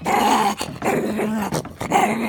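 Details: Maltese puppy growling, irritated at being dried off after a swim in the pool; a sustained rumbling growl in three long bursts with short breaks between them, close and loud indoors.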